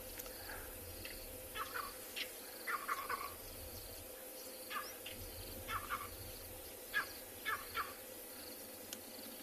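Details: Monkeys alarm calling at a moving cheetah during an afternoon safari in a South African game reserve; short harsh barking bursts repeat irregularly every second or so, over a steady hiss of background noise.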